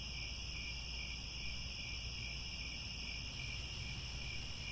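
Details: Crickets calling at sunset in Cambodian grasslands at Angkor Wat, a steady high ringing trill in layered bands, one upper tone fading slightly near the end, over continuous low rumbling noise.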